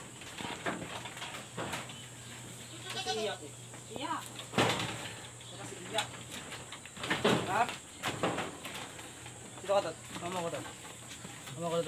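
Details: Pregnant goats on a backyard farm, fed ipil-ipil leaves on a very hot day, give several wavering, vibrato bleats spread through the recording, with a person talking and clattering noises between calls.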